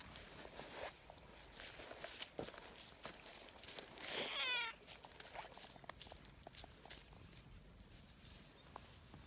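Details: Tortoiseshell community cat, friendly and affectionate, calling eagerly while being petted and kneading happily. A single loud, harmonic meow comes near the middle, with quiet outdoor rustling and faint footsteps around it.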